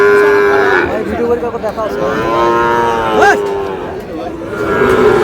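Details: Sahiwal bull calves at a busy cattle market in Chattogram, Bangladesh; long, steady harmonic lowing runs through most of the stretch with a sharp rising cry near the middle, against a background of market crowd noise and voices.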